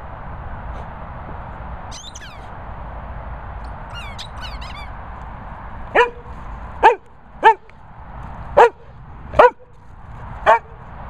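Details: Vocal Sprocker spaniel, with a Bichon also present. The first half is quiet, with a faint high squeak near two and four seconds. From six seconds come six sharp, yelping barks about a second apart over a steady low hum.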